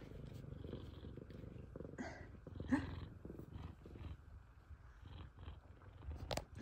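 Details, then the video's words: F2 Savannah cats at home greeting their returning owner; steady low rumbling purr throughout, with a few short clicks and brief chirpy noises. "F2 Savannah Cats Meowing And Purring."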